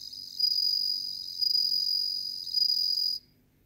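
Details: A bell cricket (Meloimorpha japonica) sings a high, ringing trill that swells in bright pulses before stopping abruptly.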